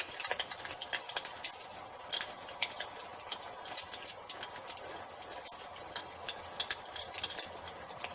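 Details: Nightfall nature ambience with crickets: a continuous piercing high trill, steady in pitch, mixed with dense crackling and popping from a wood fire.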